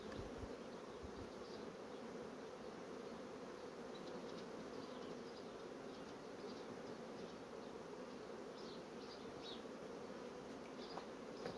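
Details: A long, unbroken, low droning buzz comes from honey bee colonies that are fast drawing out comb sheets. Faint ticking clicks are scattered throughout.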